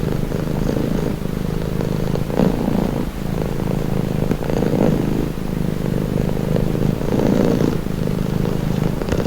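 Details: Domestic cat purring steadily as a calming, relaxing sound; a continuous low rumbling drone with soft swells in loudness, breath cycles less distinct, faint background hum.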